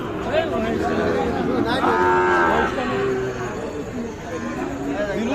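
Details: Sahiwal calf, about four months old, at the traditional Ambari cattle market in Parbatipur, Dinajpur, Bangladesh, on Friday 3 January 2025; one drawn-out, tonal, harmonic moo lasting about a second, surrounded by bargaining voices and crowd chatter.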